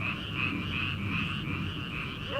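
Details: Frogs calling from rice paddies in early summer, before rice transplanting begins: a dense, steady chorus of rapid pulsed croaks forms an unbroken trilling band, with a low rumble of night air underneath.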